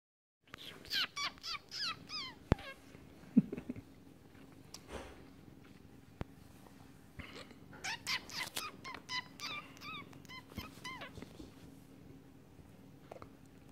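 A Siamese cat gives a run of short, bright, chirping meows in quick succession indoors.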